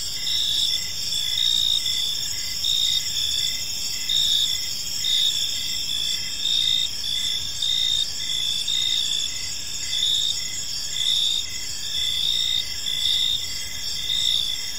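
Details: Chorus of evening crickets in a quiet park: continuous high shrill trilling from many insects, rhythmic pulsed chirps recurring about once a second, loudness rising and falling in waves over a faint low rumble.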